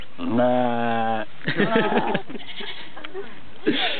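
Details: A goat at a zoo gives one drawn-out, steady bleat lasting about a second, then people start talking.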